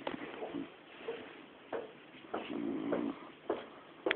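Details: Connie, a female pet dog, snores while deeply asleep. Low, rough, droning snore notes come in uneven bursts, with a longer buzzing snore just before the end. Sharp clicks and knocks are scattered between them.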